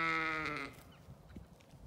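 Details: Zwartbles sheep in a farm paddock with lambs in County Kilkenny, Ireland, gives one loud, drawn-out harmonic bleat lasting under a second that fades away, followed by quiet rustling.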